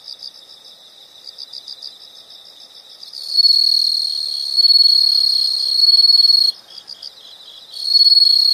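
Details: Insect night-style soundscape: soft pulsed chirps for three seconds give way to loud sustained high trills that swell and break, with quieter pulsing between them and another trill starting near the end.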